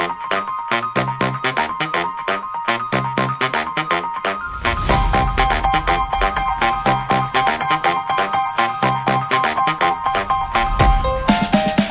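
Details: Steady electronic music with a repeating beat fills the whole stretch, growing denser halfway through; no animal sounds stand out.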